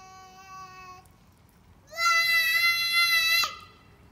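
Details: A cat named June singing loudly: a steady drawn-out tonal note, a short pause, then a louder, higher sustained yowl lasting about one and a half seconds, ending with a click.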